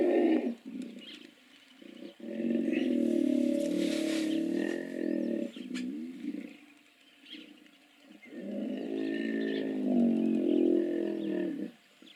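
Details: Hippos calling: two long bouts of loud, deep, rapidly pulsed grunting, one lasting about five seconds and a second starting near eight seconds. Quieter chirps and rustles fill the gap between bouts.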